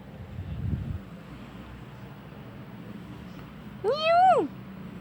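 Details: A friendly, playful black male domestic shorthair kitten, one year two months old, from Petaling Jaya, Malaysia, up for adoption; a single clear meow that rises then falls, over steady background hum and a low thud.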